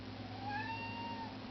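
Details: A pet kitten begging to go outside gives one drawn-out meow, rising slightly then falling, over a steady low indoor hum.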